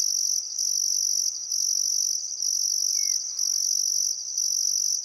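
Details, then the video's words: Summer sunset chorus of crickets by the Barcoo River in Welford National Park, Outback Queensland, Australia, on a still afternoon: piercing high trills running in pulses about a second long separated by brief pauses, one faint bird note midway. "Australian Sunset Chirping Crickets"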